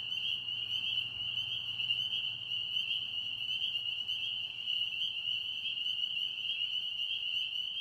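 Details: Pond frogs in Tennessee calling together, a continuous shrill ringing chorus that holds steady in pitch and loudness throughout, with faint higher overtones and a soft low rumble underneath.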